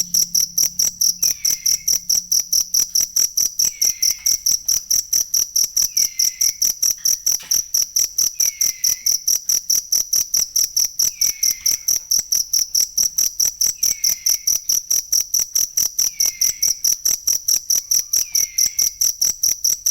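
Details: Cricket recorded for training songbirds, with a steady, high, shrill chirp pulsing about twice per second throughout, and faint falling whistles about every two seconds in the background.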